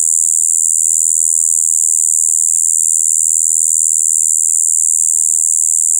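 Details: Shibuiro kayakiri katydid singing in its spring breeding period on 2 April 2023, an unvarying shrill, murky buzz droning on steadily without breaks or other noises.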